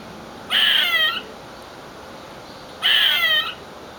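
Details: Screaming squirrel making funny noises: two harsh, shrill shrieks about half a second long, each wavering then falling slightly, spaced roughly two seconds apart over a steady background hiss.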